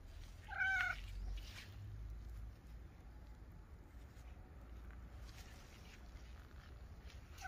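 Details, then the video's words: Domestic cat giving a single short, tonal meow with a stack of harmonics early on, then low background rumble and faint rustling for the remaining seconds. "Cat Meows!"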